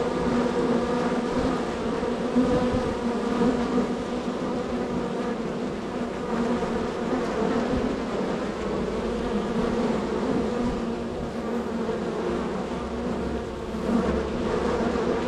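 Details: Dense buzzing of a very active honey bee hive, one of several in a row, bees entering and leaving; a steady droning hum with layered wingbeat tones, continuous for the whole stretch with small swells.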